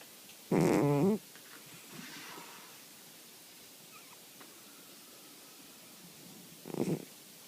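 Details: Sleeping cat snoring: two loud, harsh, buzzy inhalations with a rattling, stacked tone, one lasting under a second and a shorter one about six seconds later, separated by quiet room hiss.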